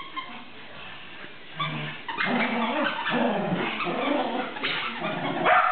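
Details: Shetland Sheepdog playing tug, starting quietly, then breaking into a sustained rough, noisy growling grumble that ends in a sharper yip.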